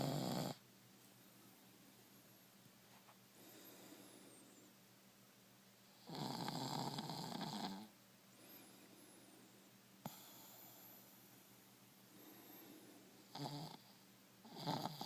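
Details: Buster, a one-year-old male pet dog sleeping with his head pillowed on a person's shin, lets out heavy rattling snores spaced several seconds apart, each a long buzzy breath, with soft breathing between them in a quiet room.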